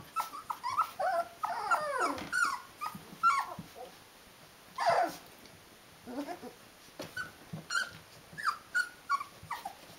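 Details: Rhodesian Ridgeback puppies, 19 days old, a whole litter indoors, making bursts of wavering whines and little yelps, a louder sweeping cry near the middle, then scattered short squeaks with quiet gaps.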